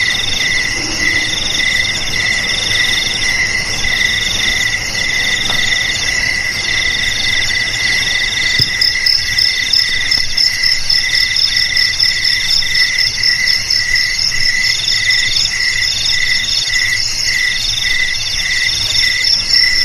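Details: Several insects sing together in a sustained shrill drone; midway a faster, brighter pulsed trill joins, with a faint low rumble underneath.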